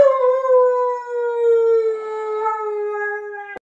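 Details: Male Siberian Husky howling at home: one long, steady, tonal howl with rich harmonics, starting slightly higher and sliding gently lower over nearly four seconds before cutting off abruptly.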